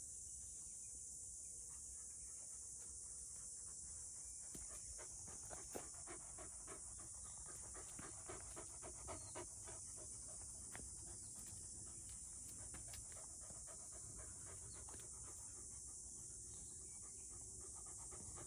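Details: Black field-line Labrador Retriever puppy Goo, six months old, carrying a stick during a walk, breathes in rapid ragged pants, nearly four per second, loosening in rhythm over time, against a constant shrill background hiss.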